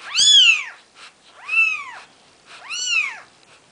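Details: Maine Coon kittens on their fourth day of life, offspring of a cat named Nikita, giving three high, arched mewing cries roughly every 1.3 seconds, each rising then falling, in a quiet indoor setting.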